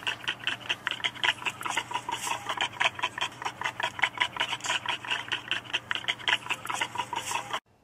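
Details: A baboon in Southern Africa gives a mating chunter: a rapid, even run of harsh, clipped pulses, about six a second, chattering steadily for over seven seconds before stopping abruptly.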